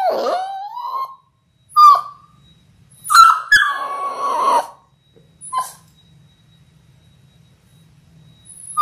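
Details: Labrador Retriever puppies in their sixth week, one of a litter of six born January 18, 2022, on a live puppy cam: a long wavering whine, short sharp yelps, then a drawn-out cry separated by silences.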